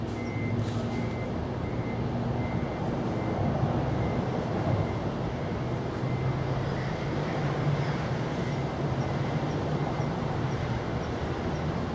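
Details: Low engine rumble, with a repeated high electronic beep pulsing at regular intervals, and no animal sound.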